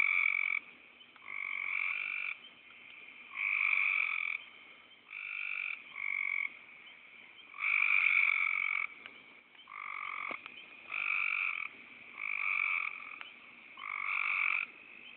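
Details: Frogs recorded on an Android phone, calling in a steady chorus: buzzy, nasal croaks about a second long, repeated roughly every one to two seconds with alternating pitches, some overlapping, and no other sounds competing.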